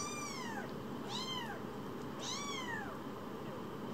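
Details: Young rescued kittens from an animal shelter meowing: three arched, harmonic-rich cries that rise and then fall. Each lasts under a second, with short quiet gaps between them over a steady low indoor hum.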